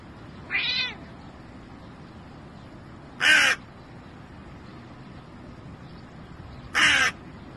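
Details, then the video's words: Domestic cat meowing: three short, high, bright meows spaced about three seconds apart, each a brief tonal cry with a slight downward bend, over a quiet steady background. "Cute Cats Meowing"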